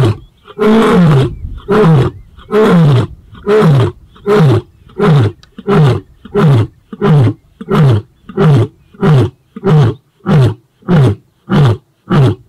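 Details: White male lion Casper of the Shishangaan coalition giving a roaring display toward rival Mayambula males in the southwest of his territory; a long train of deep, booming grunts, evenly spaced and steadily shortening, around seventeen in twelve seconds.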